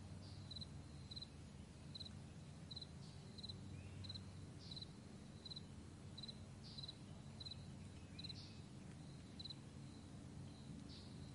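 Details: Meadow crickets at morning, recorded May 9, 2020: crisp high chirps repeat at a fairly even pace of about two per second, with a steady low rumble of an aircraft throughout.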